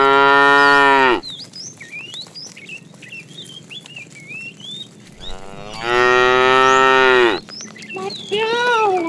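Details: In the afternoon, while a tame herd of cows is being herded, a fat cow gives long, deep, droning moos calling to a female, with small birds chirping between.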